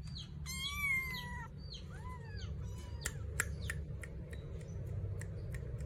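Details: Persian kitten of two months calling for its mother: one strong, long wavering meow early on, a shorter fainter mew after it, then only scattered sharp clicks and taps over a constant low rumble.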